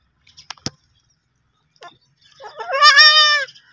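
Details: Young goat kid giving one clear, wavering, harmonic bleat of about one second that rises slightly and then falls away, preceded by a few sharp clicks in near silence.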